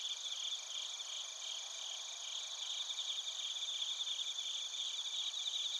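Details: Recorded in Narita, Chiba, Japan, on a TASCAM Portacapture X8, bell crickets and crickets make high, bell-like pulsed chirps about two to three per second over a continuous shrill insect drone.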